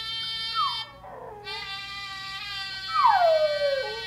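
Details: Six-month-old Miniature Schnauzer sitting on a lap, howling along with a trumpet sound from an interactive web page; harmonic trumpet-like tones fill the background while the dog gives two sliding howls that fall from high to low.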